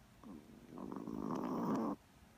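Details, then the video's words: A Chihuahua asleep gives one drawn-out, rattling snore that builds in loudness over about a second and stops abruptly, preceded by a short soft wheeze. "Snoring chihuahua!"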